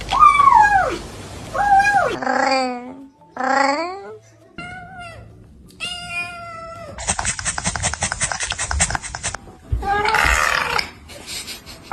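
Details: Cats making weird, funny noises in a compilation: wavering falling meows, short chattering bursts, a rapid buzzy rattling trill and a strained yowl, with some human voice mixed in.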